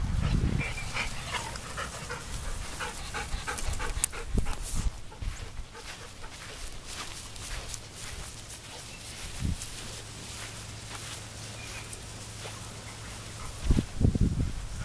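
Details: Labrador retriever panting: rapid, breathy, noisy bursts in a fairly quick irregular rhythm, with a steady low hum underneath and a few louder low thumps near the start and end.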